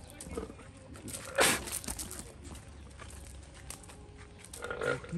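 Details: An angry male llama in an enclosure, hostile to a man about two metres away who offers him watermelon and gets spat at, gives rough, rasping growls and noisy bursts while the man speaks nearby.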